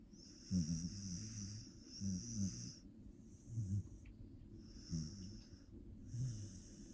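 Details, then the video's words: Sleeping Australian Shepherd snoring like an old man, with twitching in its sleep; low rumbling snores with airy hiss repeat roughly every one and a half seconds, five breaths in a row. "いびきと寝ピクが激しいオゥシー オーストラリアンシェパード"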